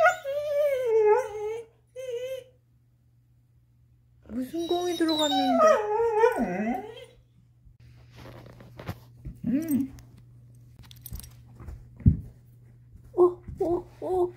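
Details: Chaco, a black female Labrador–Coonhound mix, whines while working to get her ball out. Long, drawn-out whines slide up and down, then come excited yelping calls, with human voices chattering in a small room.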